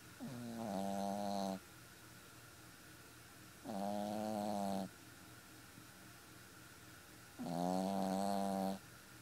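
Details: Sleeping Boston Terrier puppy, four months old, snoring steadily: three long, drawn-out nasal snores of about a second each, recurring roughly every three and a half seconds, with near silence between them.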